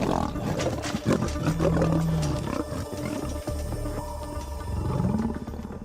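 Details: In Kruger National Park in October, three lion brothers, drawn in by buffalo distress calls, fight over a kudu carcass with deep, rumbling growls and harsh snarls, with music underneath.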